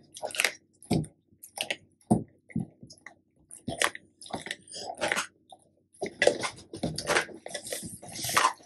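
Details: Black and yellow male Labrador Retrievers Tico and Remi chewing raw duck necks and homemade duck neck jerky at mealtime; separate crisp bone crunches and wet bites, sparse at first, then denser near the end.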